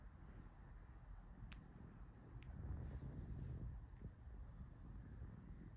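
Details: A relaxed cat being petted gives a low, rumbling purr that swells in the middle and then eases off, with soft rubbing and rustling noise throughout.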